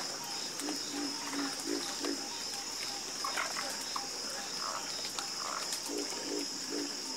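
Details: A night chorus of frogs, with croaks repeated in quick series of about three per second and higher calls mixed in, under a continuous high insect hum.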